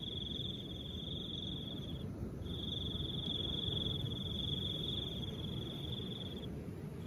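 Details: A continuous high, even cricket trill lasts about two seconds, drops out for a moment, then carries on for four more seconds, with soft wind rushing underneath throughout.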